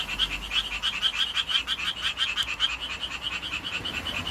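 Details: Male-style courtship calling from a Japanese tree frog in town, its throat ballooning with every note; brisk, harsh, evenly pulsed croaks, about three per second, over a faint low rumble.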